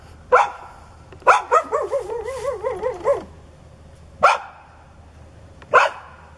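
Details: Growling, foaming neighbour's dog that charges at anyone turning their back: one sharp bark, then a rapid string of wavering, yodel-like barks, followed by two more single loud barks well spaced apart.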